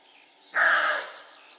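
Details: A single harsh, raspy bark from a male roe deer, lasting about half a second before trailing off, with soft birdsong in the background.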